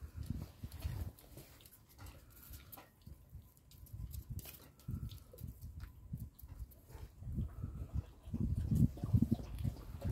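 Deep, heavy woofs from a Polish Tatra Sheepdog come in uneven bursts, growing louder and more insistent toward the end. These are guarding barks, warning anyone who tries to come in.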